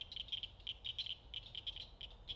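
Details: Small frogs peep in a chorus by a lake with lily pads at a South Carolina campground, short high notes overlapping several times a second; mosquitoes out.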